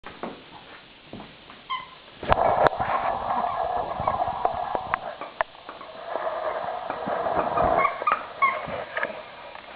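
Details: Poca, a pet dog, indoors during a tug-of-war game over a toy, gives rough, muffled growling with brief whimpering tones and scuffling sounds while a person repeatedly urges the dog to give the toy back.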